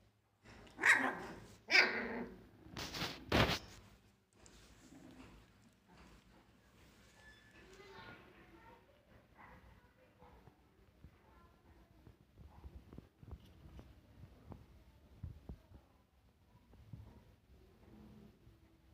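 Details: Siberian Husky puppies, 21 days old, playing and fighting together; a few loud high yaps in the first four seconds, then softer scattered yips, whines and rustling as the litter tussles.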